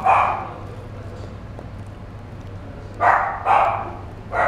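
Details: One fawn-coloured male Chihuahua in a pet shop lets out a single yap, falls quiet for over two seconds, then fires off three more sharp barks, a faint low hum running throughout.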